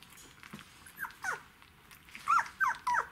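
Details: Czechoslovakian Wolfdog puppies twelve days old, litter of Orizon and Rahan, 3 December 2020, giving a run of short, high, downward-sliding whimpers that grow louder and come in quick succession toward the end.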